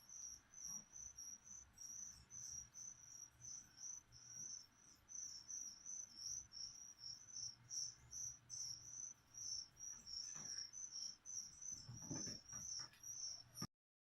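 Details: Crickets kept as live food for a pet leopard gecko, chirping steadily indoors: shrill, high, pulsed chirps repeated in quick bursts roughly every half second, with soft rustling and handling clicks toward the end.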